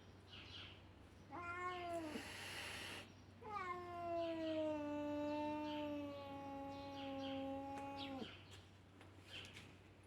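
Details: Tiny Siamese kitten annoying an older ginger cat, producing a short cry then a sustained wailing meow lasting over four seconds, gently falling in pitch, ending abruptly; faint rustling in between.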